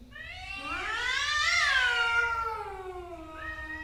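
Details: Angry male cats fighting, a single long caterwaul that swells upward to a strained peak, then slowly sinks into a lower moaning tone, ending with a short higher cry.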